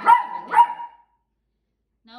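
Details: Macy, a female Yorkshire terrier, barking because she wants to run after other dogs: two sharp, fairly high barks half a second apart, then silence and a faint voice at the end.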